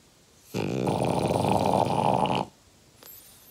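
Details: Uggy the French Bulldog, five years old, lets out one long, loud, grating snore of about two seconds, thick and buzzy throughout, followed by a faint soft breath.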